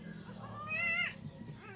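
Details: Newborn goat kid, one of two young males being given injections of iron, vitamin B complex and liver extract; one short wavering bleat midway, with music playing softly behind.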